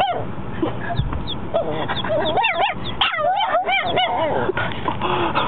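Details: Four-month-old puppy dog giving its very first barks: high, wavering yelps with rich harmonics, several squeezed together in quick bursts from about the middle onward, rising and falling in pitch, over steady background hiss.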